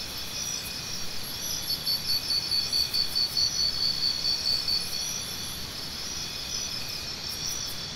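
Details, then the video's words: Cricket sounds for tinnitus sound therapy: a few seconds of regular high chirping, about two pulses per second, over a continuous shimmering insect hum that carries on after the chirps fade. "Cricket Sounds"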